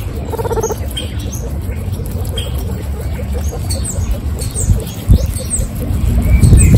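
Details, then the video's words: Guinea pigs from an all-female group of 26 munching carrots: dense, rapid crunching and nibbling clicks about four per second, with faint brief high squeaks overhead. "Guinea pigs carrots Mukbang"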